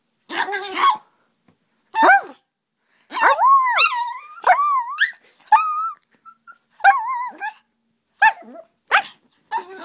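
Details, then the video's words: Playful hyper puppy Aria indoors: short barks followed by high, wavering whines and yelps that rise and fall, in irregular bursts about once a second, with brief silences between. "Hyper Puppy! Aria Hits her Head on Bed"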